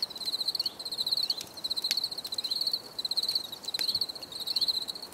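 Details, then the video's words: High, pulsed cricket chirps in short rhythmic bursts about every half second, each burst a quick train of bright clicks, from a relaxing nature recording of crickets. "Les grillons || Bruit de Grillons"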